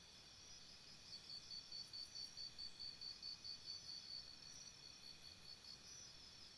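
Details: At a campsite after dark, crickets give a three-second string of about fourteen rapid, evenly spaced high chirps over a constant thin ringing hum.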